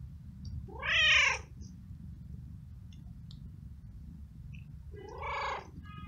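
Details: Hungry stray cat living alone on the street, met on a rainy walk, gives two harmonic meows, the first loud and arching about a second in, the second softer near the end, over low rumbling street noise.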